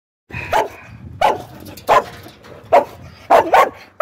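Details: Australian Cattle Dog barking in short, sharp, irregular bursts, some single and some in quick pairs, with quiet gaps between them.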